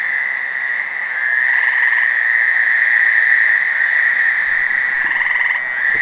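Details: About ten Fowler's toads at 9 PM on June 5, 2015, in a cemetery in Providence, Rhode Island, give steady, nasal buzzing calls that overlap into a continuous drone, with one gray tree frog's short trill.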